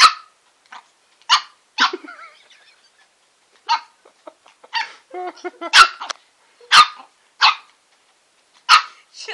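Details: Bubbles, a female Shih Tzu, reacts to tasting a lollipop with sharp, high yapping barks in irregular bursts, roughly eight spaced over several seconds, with softer grumbling and whiny sounds in between, indoors and otherwise quiet.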